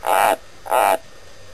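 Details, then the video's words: Pet White's tree frog named Morio croaking back during a little back-and-forth with its owner: two loud, harsh, buzzy croaks about half a second apart, each lasting a third of a second. "Whites Tree frog Talks to me"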